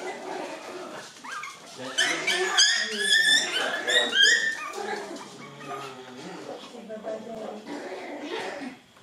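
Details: Seven-week-old poodle puppies at play indoors give a burst of high, wavering whines and squeaky yips, rapid and overlapping for about two seconds, then fading under a woman's talking.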